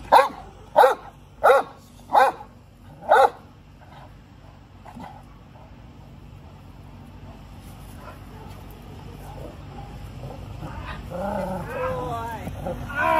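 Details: Great Dane, a working dog in training, gives five loud deep barks in the first three seconds, then a long stretch of low background noise with faint voices and rustling near the end.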